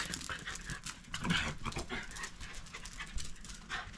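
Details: Round Shiba Inus, a parent and offspring living in a backyard, play-fight quietly, aiming at each other's cheeks, with soft breathy huffs, panting and muffled low growls.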